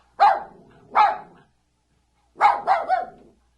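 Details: A puppy or dog gives two quick yapping barks, pauses about a second, then a triple bark with a rough edge; indoors, no other sounds.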